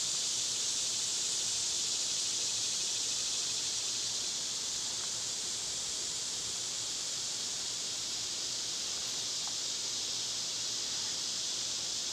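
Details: Summer cicadas make a steady, unbroken high buzzing wash of sound. A couple of faint, brief clicks show up under the drone.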